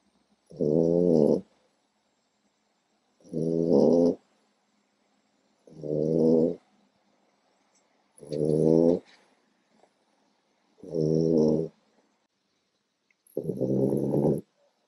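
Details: A tired 4-month-old French bulldog puppy snores, each rough, rumbling, bear-like breath coming about every two and a half seconds.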